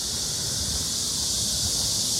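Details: Crickets chirping very loudly during a night walk through the streets of Cheongnyangni, Seoul: a dense, continuous high-pitched hissing trill filling the upper range, steady throughout, with faint low urban rumble beneath.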